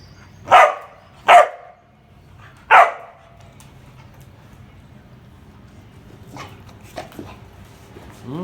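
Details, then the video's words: Street dog puppy barking three times, sharp loud yaps spaced under a second and then about a second and a half apart, followed by quieter faint sounds and a little human speech. "Dog funny sounds || cute street dog puppy"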